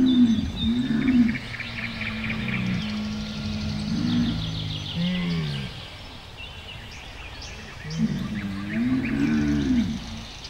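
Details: Camel giving low, gurgling moans with wavering harmonic tones, in drawn-out bursts near the start, middle and end, over a steady rumbling background.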